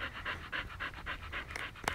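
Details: Siberian Husky Lucky lying in one spot in Pleven, panting in soft, hoarse pulses about four per second, followed by two sharp clicks at the end.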